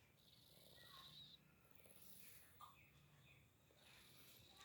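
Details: A sleeping pet cat snores; soft breathy hisses recur roughly once a second, with brief higher rasps and a faint low hum beneath.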